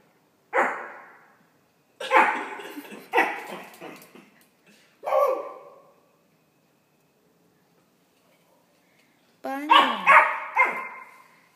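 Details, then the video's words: Pomeranian barking at a plush toy dog indoors, short high yappy barks in bursts: one bark, a quick run of three, another, then after a pause a rising yelp and two more barks; quiet gaps between. "Banjo (pomerania) fights with a plush dog"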